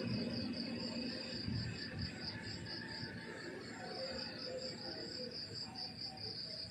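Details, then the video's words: Crickets chirping in the countryside in the morning: a steady high, pulsed trill of rapid chirps beating on without pause, over a soft low rural rumble. "The beautiful sound of crickets chirping in the countryside in the morning"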